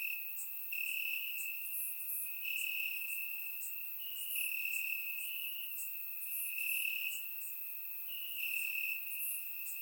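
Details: Bulgarian crickets calling from grass on a warm summer night, captured by a surround microphone; a sustained high trill rises and fades in repeated pulses about every second, with scattered higher buzzes layered over it.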